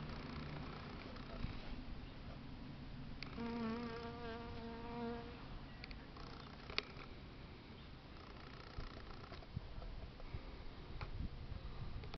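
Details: Honey bee at a red flower, giving a steady, droning buzz that lasts about two seconds, rich in overtones, then fades. The buzz sits over continuous outdoor background hiss and a low hum.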